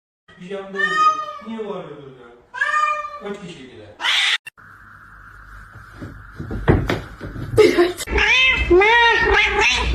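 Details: Kitten meowing and crying: two drawn-out, harmonic meows in the first three seconds, each wavering then falling. A sharp clatter follows, then a steady hum, with people talking and laughing indoors.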